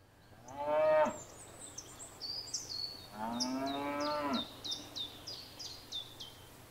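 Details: Cows grazing in a field: two harmonic moos, a short one near the start and a longer, lower one a few seconds later, while small birds chirp in repeated high notes behind them.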